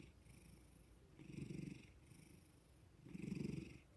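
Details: Pet tomcat given loving strokes after waking, purring contentedly indoors; two deep rolling purr pulses about two seconds apart, quieter breathing hum between them.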